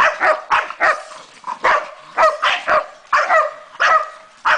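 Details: Female Staffordshire bull terrier, 13 months old, barking loudly in quick bursts; sharp harsh barks about twice a second, irregular spacing, no other sounds.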